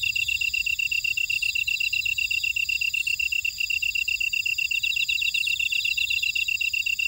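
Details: Insect chorus from a buckwheat field in Oradong, Jeju, South Korea; many callers blend into an unbroken high ringing pulse with shimmering trills above it, some swelling briefly every second or two.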